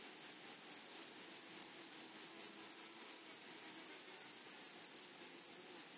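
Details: A high, tonal, insistent trill from grasshoppers in a flowery meadow, running steadily with small gaps and a gentle rise in loudness near the end, a faint higher overtone above it.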